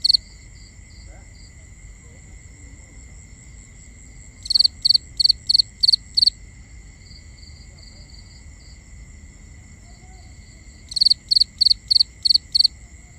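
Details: Crickets at night in a binaural recording: two bursts of six sharp, high chirps, each burst about two seconds long, separated by quieter scattered chirping, over steady high-pitched insect hums.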